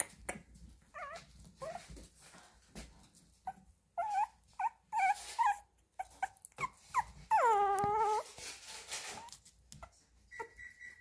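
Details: Young Chihuahua puppy giving repeated thin whines, around two or three a second, then a longer quavering drawn-out cry near the middle before quieter yips and a faint steady tone at the end.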